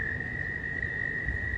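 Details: Mating-season frogs in a little pond pool, heard up close while they swim about; one continuous high-pitched tone runs without a break from start to end, with gusty low wind noise underneath.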